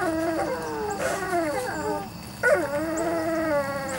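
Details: Young Weimaraner x Vizsla pups, three to four weeks old, from Biscuit's litter, cry in long, drawn-out wavering howls and whines, several voices overlapping, with a sharper yelp at the midpoint; one call slides downward, then rises again.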